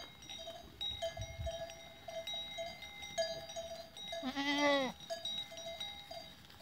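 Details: Goats recorded on 14 April 2023: one loud, wavering, harmonic bleat lasting under a second near the end, set against steady ringing cowbells throughout and low rustling noise.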